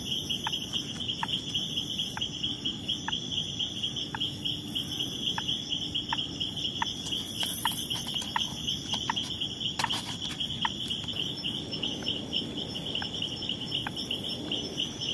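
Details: Territorial Leptodactylus troglodytes frog driving off a rival, giving brief clicking upswept notes in a long regular series, roughly one per half second to second, with a constant high insect trill behind and a faint low rumble.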